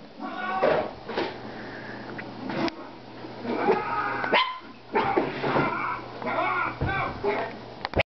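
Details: Bailey, a female dog, barking at herself: a series of sharp, harsh barks in irregular bursts about a second apart, some closely doubled, over a steady low hum.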